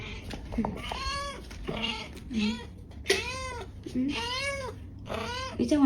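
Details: Mother cat, a former stray with kittens, meowing from a balcony to lead her carer to the bedroom where one of her kittens lay trembling on the floor; five or six rising-falling harmonic meows about a second apart, indoors with faint background noise.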